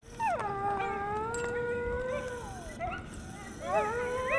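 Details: A coyote pack near DeBell Golf Course by Wildwood Canyon, Burbank, California, calling very loudly: a long, steady, wavering howl, then a burst of rising, sliding yips. Finding: Coyote.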